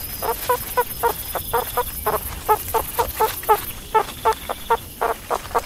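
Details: Repeated brief squeaky barks from a meerkat, each a sharp harmonic chirp, coming in loose bursts of three or four with short gaps, over a thin high-pitched electrical whine.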